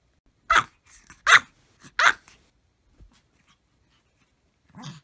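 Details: Maltese dogs barking all together with full effort: three loud, sharp barks spaced under a second apart, followed by faint scuffling and a softer bark at the end.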